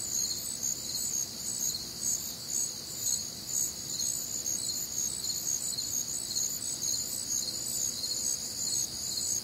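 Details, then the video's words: Night chorus of crickets recorded one warm, humid summer night in the Midwest, layered high-pitched pulsing chirps stacked in bands, rhythmic and unbroken, a constant shimmering insect wall without birds or voices. "Night Time Cricket Sounds"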